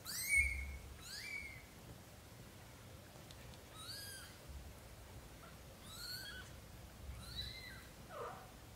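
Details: Young British Shorthair kittens, between newborn and 30 days old, from a litter of four born to black golden parents: thin, high-pitched mews that rise and then fall, given singly in short bursts about every one to two seconds in a quiet room.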